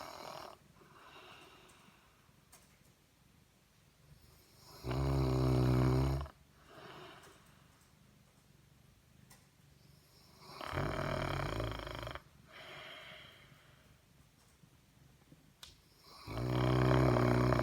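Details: A male Saint Bernard, a massive snorer, snores in slow, heavy rounds, each a deep, rumbling, rattling inhale lasting over a second, with quiet breathing in the pauses of roughly four to six seconds.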